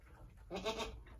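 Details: Angora goats at a farm birth just before sunset on March 7, 2020, where a doe delivered two red buck kids. One short, harsh, broad bleat lasting about half a second, with faint murmuring voices nearby.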